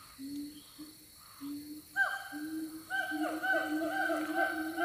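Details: Siamang calling in the Siundol forest: steady low hooting notes that open the clip, then louder, richer, slightly rising notes from about two seconds that overlap in a dense, continuous series.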